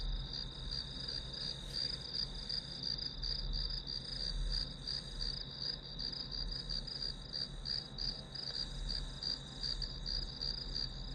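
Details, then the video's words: Grass insects heard as background to a one-hour study session: a steady high-pitched trilling chirp pulsing about three times per second, layered over a low rumbling hum. "풀벌레 소리"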